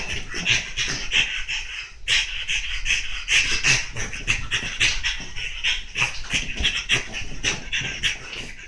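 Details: French Bulldog named Monaka rampaging on a chair, breathing in fast, rough, noisy pants; broadband bursts repeat several times a second with brief gaps, no other clear sounds.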